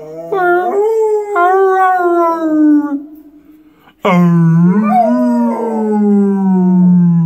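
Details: A pit bull howls while singing along with its owner at the mic: a long, sliding, harmonic howl that wavers and falls, then after a brief near-silence a second strong howl rises and holds, then slowly sinks.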